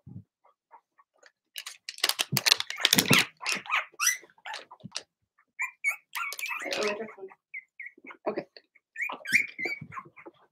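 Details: Indoor puppy pen holding six Blenheim Cavalier King Charles Spaniel puppies, Remy's first litter. Bursts of harsh overlapping barks and yaps come first, followed by thinner high-pitched whines and squeals from the pups, with scattered knocks in the room.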